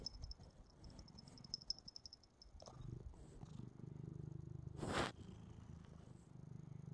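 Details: Purrsha, a pet cat, purring while watching a replay of herself on the TV, apparently fascinated; a steady low rumbling purr fills the clip, with a sharp broadband burst of noise about two-thirds through.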